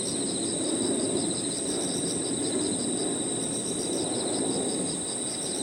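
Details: Evening park soundscape of crickets and other insects: a sustained high shrill note and evenly spaced chirp pulses repeating a few times a second, over a continuous low muffled background rumble.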